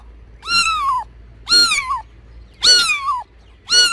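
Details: Angry domestic cat giving four loud, drawn-out meows. Each lasts about half a second, with a rich harmonic tone that dips slightly at the end. They come roughly once a second over a faint low hum.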